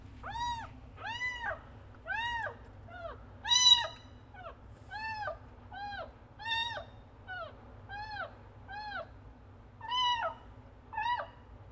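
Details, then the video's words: Kitten meowing loudly to call its mother: a long series of clear, arching meows, about one each second, varying slightly in length and pitch, with a low steady hum underneath. "Anak Kucing Frangky Mengeong Dengan Keras Memanggil ibu kucing"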